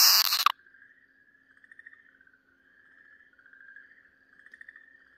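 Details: Okinawa green tree frog in the grip of a Pryer's keelback snake, 4 March 2023: after a brief loud noise, long quavering wails with fast pulsing swell and fade in a steady series, over a faint low hum.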